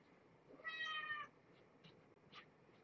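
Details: Domestic cat at bedtime in a room with a nursing mother and her young kittens, during a feeding visit: one short, quiet, clear meow lasting under a second, followed by faint rustling and soft handling noises.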